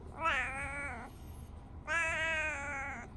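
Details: Tabby house cat greeting its owner in the morning, chatting back: two drawn-out wavering meows about a second each, the first rising then falling, the second steadier, with a quiet pause between and a person speaking softly nearby.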